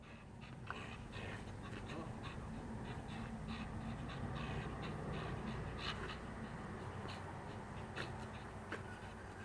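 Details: A pet dog panting rapidly and steadily, a fast rhythmic breathy pulse of roughly four breaths a second, recorded close up indoors with a constant low hum beneath.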